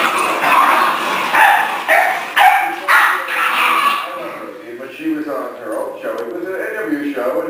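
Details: New puppy Guiness, vocal while trying to show his older brother who's boss; a run of short sharp barks and yips in the first four seconds, then fainter voices and softer sounds.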